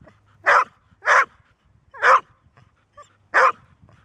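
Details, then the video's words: Golden Retriever, a usually quiet dog that barks only when it must, giving four loud, harsh barks at irregular intervals of about half a second to one second over a low background hum. ""Bellen", Golden Retriever"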